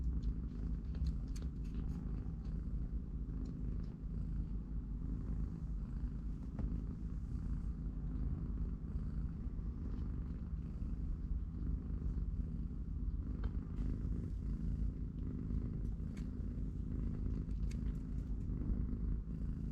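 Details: Domestic cats: three-week-old kittens in a cardboard box with their watching mother, playing and napping. A steady, deep rumbling purr runs unbroken for the whole stretch, with scattered faint clicks and soft rustles above it.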